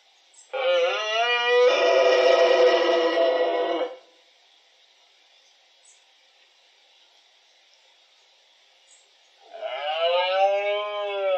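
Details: Twelve-point red deer stag at the peak of the rut (berrea), October 2023, at Cerro Escribano and La Tinajilla in the Refugio de Fauna Chico Mendes, Spain: a loud, harmonic-rich roaring bellow of about three seconds, a quiet pause, then another bellow begins.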